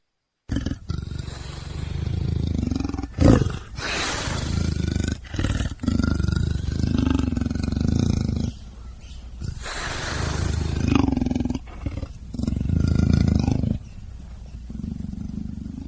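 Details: Leopard in the savanna: deep, low rumbling growls and roars swelling and fading in several long waves, with brief rasping breaths between them and steady background noise.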